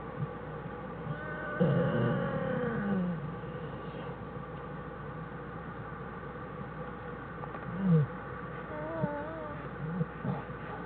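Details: Inside a winter den on January 1, 2013, an American black bear mother rests with two cubs. A drawn-out, quavering moan is followed later by short squeaky cries and a brief wavering note, all over a constant low background hum.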